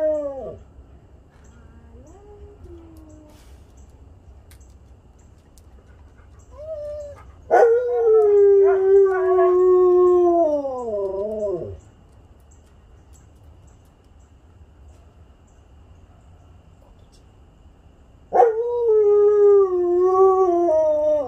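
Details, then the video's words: Group howling session of huskies Haven, Sam and Storm joined by their canine best friend on a Sunday; two long bursts of warbling, sliding howls from several voices, separated by quieter gaps with faint background murmur. "Husky Howling Session"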